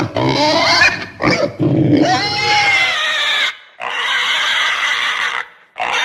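A domestic pig gives loud, harsh squeals mixed with rough grunting.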